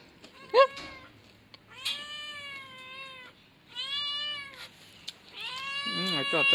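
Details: Male kitten giving three long, steady, clear meows, each about a second long with a slight downward bend, separated by short pauses. A brief squeak comes first, and faint background noise runs throughout.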